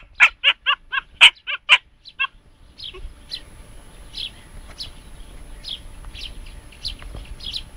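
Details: Jasmine, a three-and-a-half-month-old Siberian Husky puppy, encountering a hedgehog. Seven quick, high-pitched yaps fill the first two seconds, then go quiet, leaving faint, thin chirps and light background noise.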